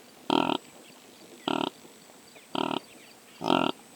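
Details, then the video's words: Wild impala (rooibok) in sub-Saharan Africa, captured on a drop rig with a Sony PCM A10: four short, harsh, honking snorts roughly one second apart, each about a third of a second long, over faint background hiss. "What sounds does the impala make?"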